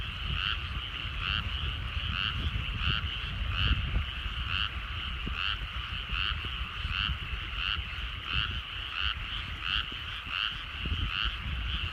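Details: Frogs calling at evening in rice fields at sunset in the countryside, a dense chorus of pulsed croaks repeating steadily about once a second, with a low rumble underneath.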